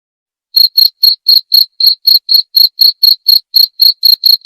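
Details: A cricket begins after a short silence, then gives crisp, high-pitched chirps at a steady pace of roughly four per second, clean and free of background noise.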